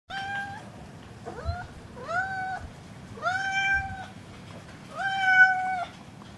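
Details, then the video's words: Cat meowing in a series of five drawn-out, tonal meows, each rising briefly then holding a steady pitch, spaced about a second apart and growing louder toward the end, in a quiet indoor setting. "the cat singer"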